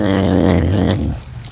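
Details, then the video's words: Captive serval growling while eating a piece of food: a steady, low, buzzy rumble with layered harmonics that fades out after about a second. "Sounds of a serval eating!"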